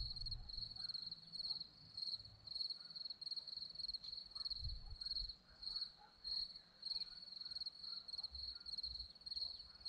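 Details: Hillside crickets at Zorlesti, Romania, give rapid high chirps in repeated bursts roughly twice a second, with a few brief low thumps in the background.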